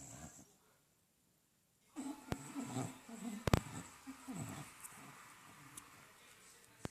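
An English Bulldog snores in deep, rattling, low rumbles after a brief quiet start.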